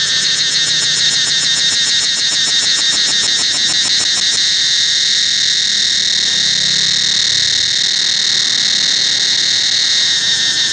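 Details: Loud continuous cicada whine through the Angkor Wat temple forest, a rapid pulsing buzz riding on it for the first four seconds before the sound settles into an even high drone.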